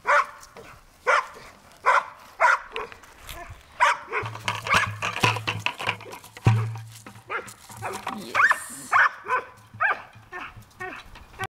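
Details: Bruiser the Bulldog with a bucket, short barks coming about every half second, a busier stretch of clatter and mixed noise midway, then barking resumes.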